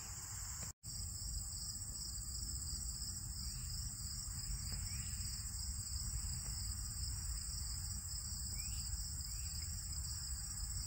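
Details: Crickets, likely field crickets, keep up a steady, high, shimmering trill in a late-summer prairie insect chorus with cicadas and grasshoppers, over low rumble.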